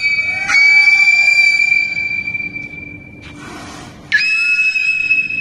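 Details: Two captive beluga whales at an aquarium, cued by their trainer to "sing", give long, steady, high whistles broken by a brief buzzy burst before another bright whistle.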